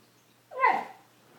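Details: Wrigley the dog gives one short, sharp, rising-then-falling yelp lasting under half a second, loud against a quiet indoor background.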